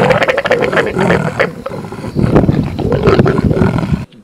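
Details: Leopard pair mating at dusk out in the open in South Africa's Sabi Sand, Greater Kruger, coupling roughly every 20 minutes across seven days: harsh, loud, continuous snarling and rasping growls, abruptly cut off near the end.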